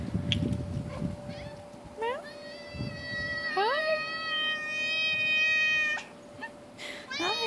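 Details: A big domestic cat, having jumped down to say hello, gives long drawn-out meows, the longest held steady for about two and a half seconds, with shorter rising meows before and after and a steady background hum.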